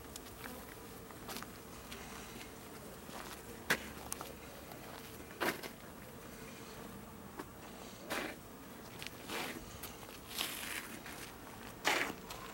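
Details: A continuous drone of bees at garden beehives in Aarhus, Denmark, recorded 6 September 2014, broken up by repeated sharp knocks and rustles every second or two.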